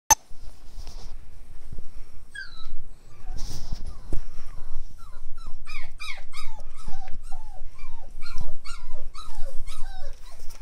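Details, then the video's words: Wire Fox Terrier puppies at play, giving a rapid run of high squeaky yips and whines in the second half, with thumps and scuffling throughout. "Wire Fox Terrier Puppies Play Time"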